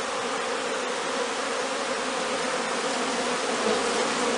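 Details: Several hundred young honey bees buzz together in a steady, droning hum during their orientation flight near the hive, on a warm, clear day between noon and three in the afternoon.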